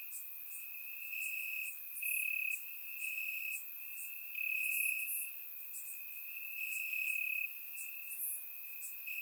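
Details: Crickets in grass at night during summer in Bulgaria, recorded with a surround microphone; constant high trilling pulses, rising in volume roughly every two seconds, backed by soft higher insect chirps.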